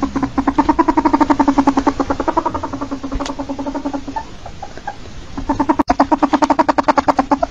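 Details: Rapid chuckling clucks from a domesticated ferret, a dense pulsed series that softens and fades for a few seconds, then returns loud and evenly spaced after a sharp click.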